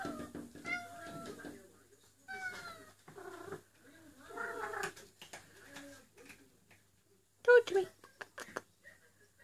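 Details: Female cat in heat calling for a mate indoors while rubbing her neck fur: a series of drawn-out, wavering harmonic cries, some falling in pitch, with a louder strained yowl near the end and quiet room noise between.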